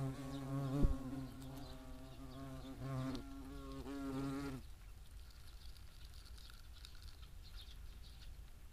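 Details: European hornet at a nest box in the Eifel, a low wavering wingbeat buzz for about four and a half seconds, then it stops abruptly, leaving quiet outdoor background noise.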